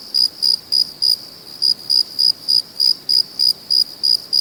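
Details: Night-time cricket chirping, bright high-pitched pulses repeated roughly three times a second in an even rhythm with one short pause, nothing else clearly heard beyond a soft hiss.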